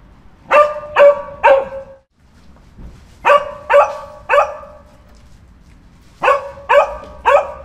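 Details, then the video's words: Dog barking in three quick bursts of three sharp barks each, every bark a short harmonic yap with pauses between the groups; quiet low background hum. "Dogs Barking for 12 hours"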